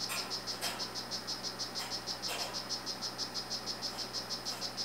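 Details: Male 'Rio Guarumo' strawberry poison-dart frog, kept, chirping clearly in a fast even series of high buzzy notes, nearly four per second, with two faint soft knocks and a steady low hum.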